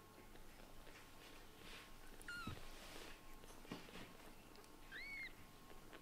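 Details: A white and brown short-haired kitten, frustrated because its Scottish Fold mother cat ignores it, gives two short, thin, rising-falling meows a few seconds apart over a steady indoor hum.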